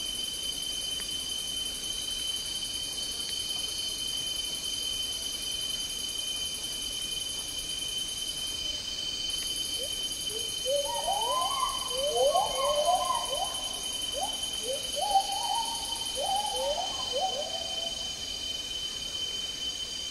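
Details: Agile gibbons, also called black-handed gibbons, singing in Malaysian tropical rainforest; a run of rising, swooping whooped notes begins midway and repeats rapidly for several seconds over a steady high insect drone.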